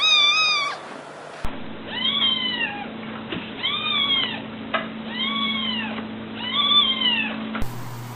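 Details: Domestic cat meowing repeatedly, a clipped meow followed by five arched, whiny meows spaced roughly every 1.3 seconds, each rising then falling, over a steady low electrical hum.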